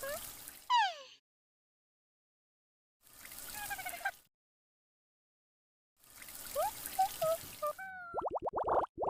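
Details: Talking cat named Inna gives a series of short meows: a descending chirpy call at the start, then wavering mid-pitched meows and a rising trill-like call, broken by long silences, ending with a sharp clattering burst of clicks.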